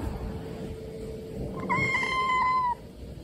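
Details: A rescued kitten gives one meow while being scolded by its carer for biting hands. The single plaintive cry lasts about one second, holding steady then sliding slightly down, after a quiet stretch of room noise.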